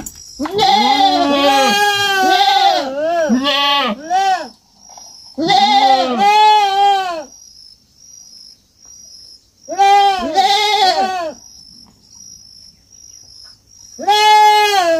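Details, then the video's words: Farm kid goat giving long runs of wavering, arched bleats, several overlapping in bursts, with pauses of silence between groups of calls. "Som de fazenda e cabrito berrando"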